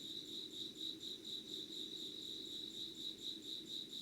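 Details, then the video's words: Insects calling before dawn at 5:00 on 25 August 2019 in Yugawara, Kanagawa, Japan, recorded by candlelight: a steady high chirping band with pulses repeating about twice a second, plus a faint low hum beneath. "Sounds of insects with candle light.☆ろうそくの灯りと虫の声"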